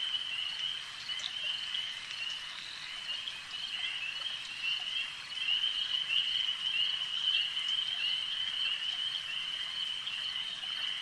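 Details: A lake at night? No: frogs at a lake give a continuous shrill trilling chorus, many voices overlapping into one unbroken band that swells slightly in the middle, with faint clicks over it.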